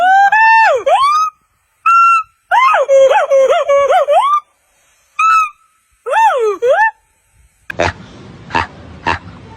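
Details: Monkey. Clear, harmonic calls from a monkey bend downward and rise again, with one stretch breaking into rapid wavering notes. Near the end, a few sharp broadband knocks follow over a hissing background.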